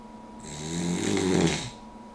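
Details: Puggle named Daisy snoring with her head up on an armchair, which is when she snores; a single drawn-out raspy inhale, vibrating and growing louder before cutting off, over a constant low household hum.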